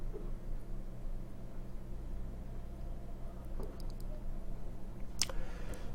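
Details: Quiet indoor room tone with a low steady hum, a few faint clicks and one sharp tick near the end; no animal sound is heard.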